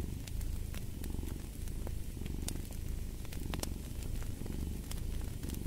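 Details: Loud, close cat purr, a rough low vibration pulsing with its breathing, with a wood fire crackling and popping in sharp bursts alongside.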